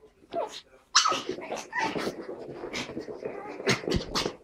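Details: Pug and Chihuahua puppies playing together, giving bursts of short yips and gruff little growls and barks, with a person's voice heard alongside.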